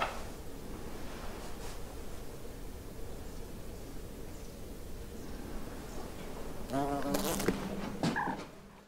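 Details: A German wasp (Vespula germanica) gives a low, steady, droning wing buzz, ending with brief tonal notes and clicks, in winter, 20 February, inside a bird observatory at the Séné Nature Reserve, Brittany.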